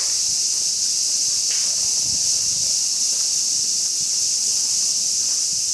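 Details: Cicadas sing in summer, a steady, shrill, high-pitched buzz that drones on without a break.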